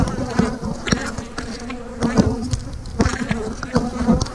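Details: Colony of honey bees during hive splits holding queen cells: a low, even buzz underlies loud wooden knocks landing roughly every half second to second as frames are moved.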